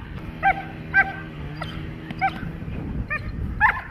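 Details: Dog in protection training barking in sharp, short single barks spaced about half a second to a second apart over a steady low mechanical hum.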